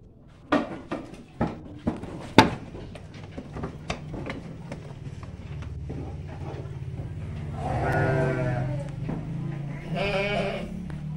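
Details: Garut sheep, female stock and young breeding rams, give two wavering, nasal bleats over a steady low hum and scattered knocks.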